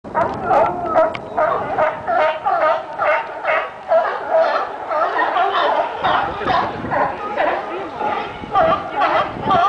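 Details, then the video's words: Sea lions at Pier 39 fighting, a dense, continuous chorus of harsh overlapping barks repeated rapidly, several animals calling at once. "Pier 39 Sea Lion Fight"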